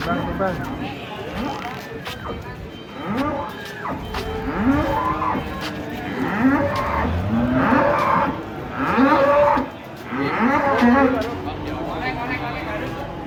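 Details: Cows coming down off a truck give a run of short, strained moos every second or two, rising and falling, amid engine noise, clatter and human voices.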